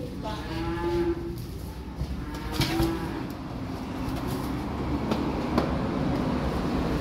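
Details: Calves arriving by truck call in short, fairly faint moos early on, one near the start and a briefer one a couple of seconds later, half buried in steady low engine-like rumble and scattered clatter.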